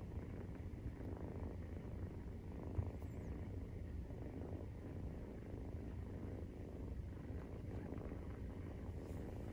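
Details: Maine Coon kitten, 43 days old, purring steadily while nursing: a deep, continuous rumbling throb with a soft, even pulse and no other clear sounds.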